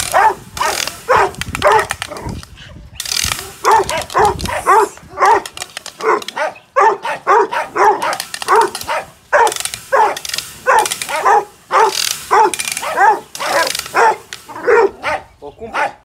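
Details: Agitation test of a five-month-old Presa Canario in Odesa; sustained volleys of hoarse, repeated barks, nearly two per second, with short gaps and some yelping notes.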